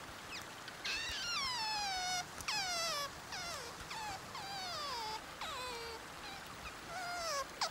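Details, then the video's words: Sea otter voicing a run of high, piercing squeals, each a rich harmonic wail that slides steeply downward, roughly one per second over eight seconds, over a soft steady hiss. "Sea otter sounds and video. HQ otter sound effect."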